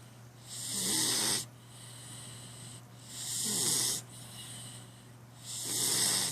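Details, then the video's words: Cat snoring in its sleep: loud, airy, wheezing breaths about every two and a half seconds, each a hissing swell, with a constant low hum underneath. "Snoring Cat"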